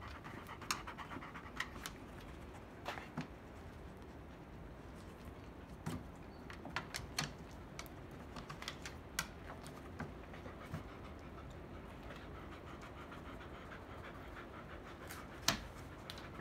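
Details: Field-line Labrador Retriever close to whelping, her belly now big, breathes in a quick, even pant of hushed airy puffs throughout, with occasional sharp clicking knocks standing out above the breathing.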